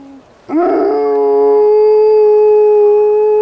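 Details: Black wolfdog howling during an urban blizzard: a rough yelping onset, then a long steady tonal howl holding one pitch with clear overtones, sustained for about three seconds.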